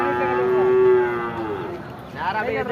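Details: Cattle at the Thepanthal cattle market in Tiruvannamalai district, where many kinds of cows and bulls are gathered: a long, steady, tonal moo held for over a second, then sliding down, followed by a shorter call that rises.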